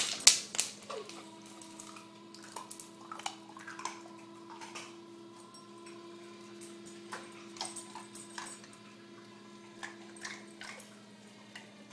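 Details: Indoor clinks and clatter like ice cubes knocking on a hard floor, over a steady electrical hum with a brief faint whine; no animal calls are heard.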